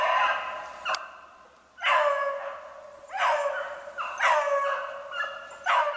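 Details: Snowshoe hare hunt with beagles, dated 3/8/16: distinct drawn-out bays start abruptly and trail off, repeated about every second or so, with two hounds overlapping in places and a faint click near the start.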